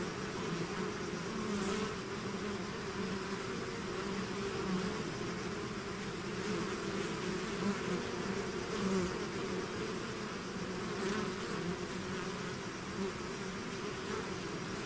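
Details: Steady humming of a bee swarm coming out of the hive, countless overlapping buzzes forming an even drone that holds its level the whole time.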